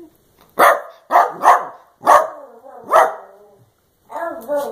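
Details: Playful Dachshund, Daisy, barking indoors during a game of run-around: loud abrupt barks, two close together then two more spaced about a second apart, followed by a softer whining yip.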